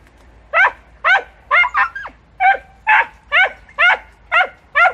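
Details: Podencos hunting through bramble in Campo Arañuelo bark rapidly and insistently: about ten loud, clipped barks at just over two per second, one doubled, with a quiet background.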